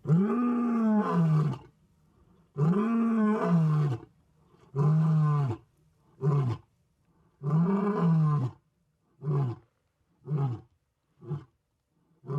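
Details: Roaring bout from an adult male lion of about ten years, resting in an open clearing and calling for his pride. Four long, deep, falling moans give way to a run of shorter grunts that grow quicker and softer.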